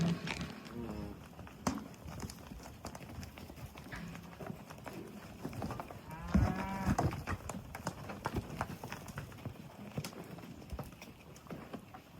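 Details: Cattle moo with deep, drawn-out lowing calls at sunset, over a steady background of hoof sounds and rustling.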